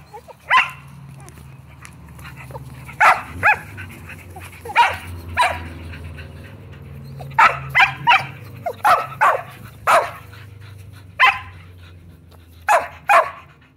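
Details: Insistent Shetland Sheepdog barking from Bella and Beetle, house Shelties wanting to play ball; about fifteen sharp barks in irregular bursts and doublets across fourteen seconds, with a low humming drone underneath.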